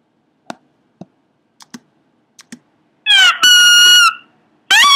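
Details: Pomeranian making weird noises: a few soft ticks and taps, then loud high-pitched harmonic squeals, first a falling cry, then a long steady squeal, and a rising squeal at the end.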